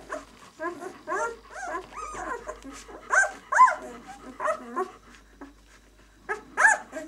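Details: Six days old, White German Shepherd pups of the "of White Night" B litter utter short, high, bent squeaks in irregular bursts, with quiet gaps between clusters.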